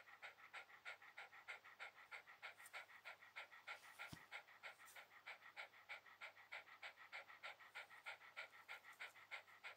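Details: Shiba Inu at ease on a towel keeps up quick, even panting, about three breaths a second, with a brief sharp knock or click just before the halfway point.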